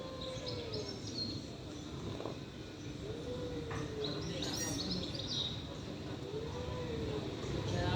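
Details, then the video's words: Stray cats in a fight let out slow, low, arching moans, repeated every few seconds, while small birds chirp sharply overhead and a steady outdoor hum fills the background. "Cats fighting by making strange noises. Stray cats fighting"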